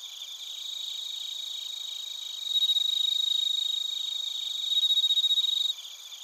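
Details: Bell crickets and crickets in Narita, Chiba Prefecture, Japan, on a TASCAM Portacapture X8: a soft pulsing chorus swells into two louder stretches of rapid, evenly beating ringing chirps, then falls back.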